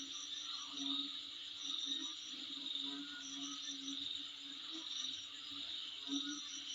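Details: Insect sounds outside a home, a continuous high shrill hum with clusters of rapid higher pulsing chirps recurring about once a second, some softer mid-pitched buzzing underneath.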